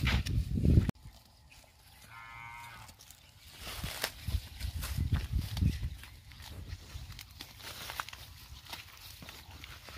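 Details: Tharparkar cow at a dairy farm in Gujarat, India, giving a deep, low moo after a short loud burst at the start, with rustling and scattered farmyard knocks behind.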